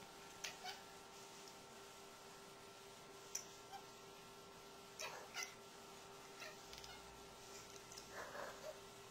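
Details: Opal, a pet tabby cat, meowing at a light indoors for no apparent reason; several short faint meows scattered through the stretch, with a steady electrical hum underneath.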